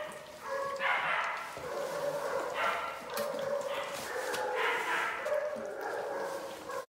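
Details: Litter of eight Belgian Malinois puppies, three males and five females, four weeks old, born 13 January 2020, at feeding time: overlapping continuous whines and yips rising and falling in waves, with a person talking.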